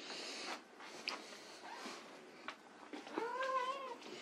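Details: White Persian kittens at play indoors; after scattered soft rustles and faint squeaks, one clear, drawn-out kitten meow near the end, level then gently falling, with rich harmonics.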